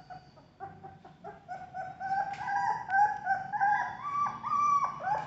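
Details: Golden and black Labrador Retriever puppies kept for sale in Vijayawada, Andhra Pradesh, India: soft broken whines grow into louder, steady, rising puppy cries, overlapping and repeating almost continuously.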